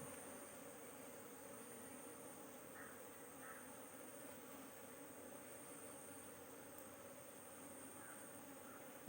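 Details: Honey bees at an open hive while a beekeeper handles queen cells, a steady low droning hum of many bees running throughout, with a few faint brief higher tones over the constant colony buzz.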